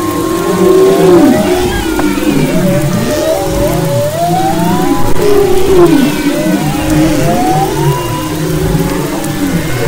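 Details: Off Maui's west coast in February 2011, humpback whales sing a dense chorus of rising and falling moans and upsweeping whistles, units repeating in loose phrases over a steady low rumble of sea noise.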